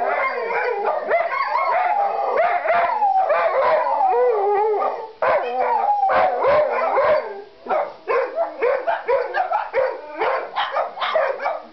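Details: Pet dogs living beside a firehouse howl as fire trucks roll past with sirens screaming: sustained wavering howls mingle with rising and falling siren wails, then break into choppy yelping bursts toward the end.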